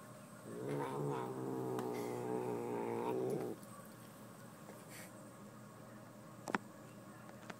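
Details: Angry pet cat guarding a fuzzy sparkly sweater, indoors, utters a drawn-out harmonic growling yowl lasting about three seconds, then stops; faint rustling and a sharp click follow.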